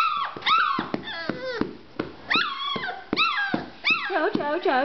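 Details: Young chocolate Labrador Retriever Mr Snuffy, male, barking on the day he first learnt to walk and bark. Bursts of shrill, squeaky yelps with falling pitch come in quick irregular runs, ending in a string of rapid, wavering whimpery barks.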